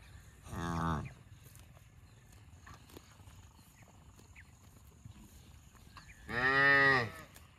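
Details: Cow giving two separate moos about six seconds apart, each a rich harmonic bellow lasting under a second, with quiet background between.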